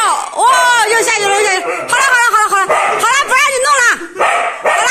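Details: Frightened Siberian Husky riding a roller coaster strapped to a man's back, crying loudly in a string of bending, arching wails and whimpers, overlapped by a man's excited exclamations and roaring ride noise.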